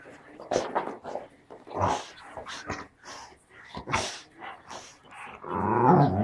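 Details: English springer spaniel "talking" indoors: a run of short growly, moaning vocal bursts rising and falling, ending in a longer drawn-out whine, with a person speaking Turkish nearby.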